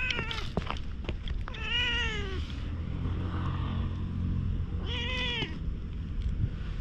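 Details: Stray cat suddenly rolling about on the ground and appealing for something, filmed outdoors on a GoPro HERO8. Two clear, drawn-out, arching meows about three seconds apart, with low rumbling background noise and scattered clicks.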